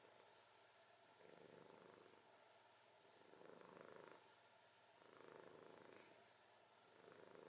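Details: A sleeping cat snoring in slow rhythmic breaths, each a soft buzzy rasp of about a second, recurring roughly every two seconds against a steady background hiss.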